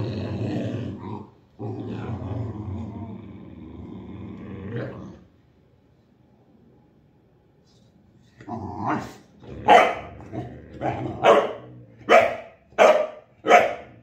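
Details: Boxer dog during tug of war. A low growl for about five seconds, then a quiet gap, then a run of sharp, rhythmic barking bursts roughly every half second to the end.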